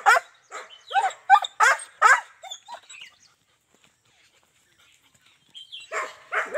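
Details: German Shepherd kept in Azamgarh, one stud offered for two females, barking rapidly for about three seconds, then a quiet gap before two more barks at the end.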